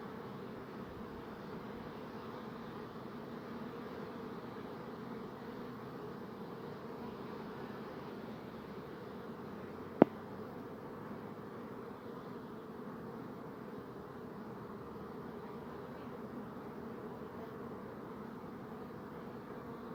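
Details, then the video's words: A swarm of bees gives a soft, continuous low drone that holds level for the whole stretch. A single sharp click cuts in at about halfway. "Bee Buzzing Sound"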